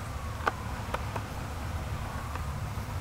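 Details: Honey bee swarm from a hive that swarmed on May 13, 2012, a dense low droning hum filling the recording with a few sharp clicks and knocks.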